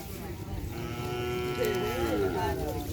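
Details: Madura racing bull from kerapan sapi bull racing, said to be healthy again after sickness, gives a drawn-out moo of about two seconds with a slightly wavering pitch over a noisy background.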